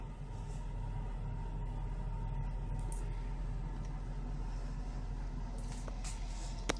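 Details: A constant low mechanical hum with a few sharp clicks near the end; no animal voice can be picked out.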